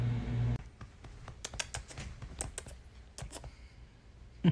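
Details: Quick clicking of a computer keyboard in a small room, after a short low hum at the start.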